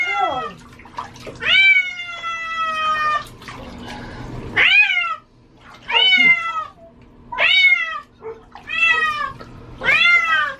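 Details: Female house cat protesting during a bath, disliking water; a run of six loud drawn-out meows, each bending upward then sliding down, spaced roughly every one and a half seconds, with quieter sounds between.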